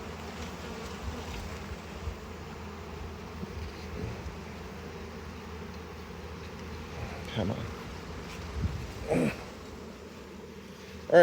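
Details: Honey bees swarming around frames pulled during a hive harvest and expansion, frames tightly packed: a soft, even buzzing hum runs throughout, broken by a few knocks and thumps of frames being handled.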